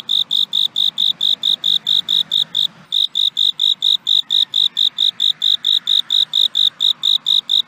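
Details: Insistent cricket chirps, shrill and evenly pulsed around four per second, a short pause just before the three-second mark, then the same regular high trill resumes over a soft low rumble.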